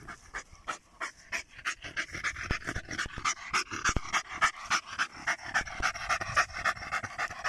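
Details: Panting German Jagdterrier in +45°C heat: fast, steady breathy huffs, roughly three or four each second, evenly paced throughout, with a few sharp clicks.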